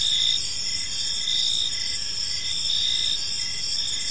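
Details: Crickets in an evening park: a high, unbroken stridulating hum with a few longer pulsed chirps rising above it at an irregular pace.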